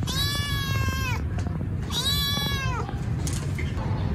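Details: Hungry rescued kitten meowing loudly while waiting to be given food: two long, drawn-out meows with falling ends, over a steady low hum in the background.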